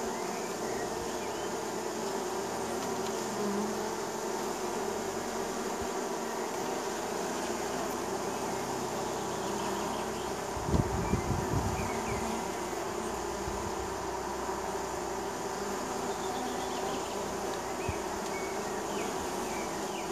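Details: Neighbor's honey bees at their hive in spring, a continuous layered drone of many wings, with a brief louder low rumble near the middle.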